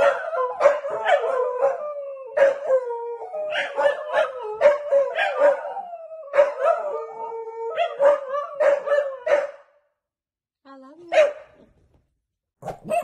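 Corgis howl together in long, wavering, mid-pitched tones broken by short yips, pressing their owner to get up.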